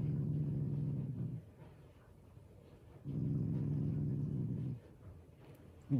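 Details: Affectionate growling from a pet Shiba Inu, playful and not angry: two steady low rumbling growls of about one and a half seconds each, separated by a quiet pause.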